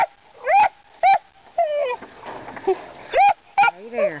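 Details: Young puppies, about three to four months old, baying at hogs: sharp yelping barks mixed with a man's voice and whiny, falling yelps, irregularly spaced.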